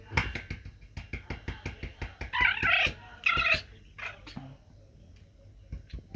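A Pomeranian makes a quick run of snuffly puffs, then two strained, whiny yowls.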